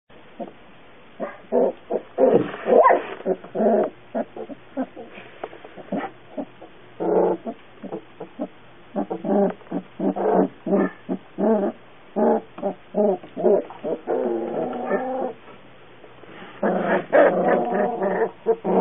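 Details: Cute puppy giving a rapid string of short, tonal yelps and whines, some drawn out into longer wavering whimpers, with brief quiet gaps between bursts.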